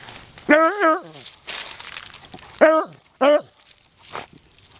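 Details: Twenty-year-old beagle Bonnie, still hunting, gives three loud bays: a long, quavering first cry, then two shorter, rising-and-falling ones, separated by rustling and brief outdoor noise.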